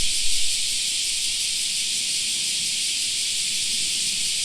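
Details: Cicadas singing in a park in summer: a dense, unbroken high-pitched hiss of many insects, steady throughout, with a faint low rumble underneath.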